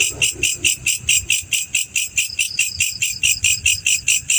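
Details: Loud, close male black cricket giving quick ringing chirps at about 140 per minute, each pulse high and buzzy, over faint low background rumble.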